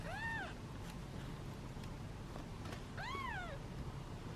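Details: Two bright, bowed mews, one at the start and one after three seconds, from hungry kittens in a basket impatiently awaiting their meal; faint room hum underneath.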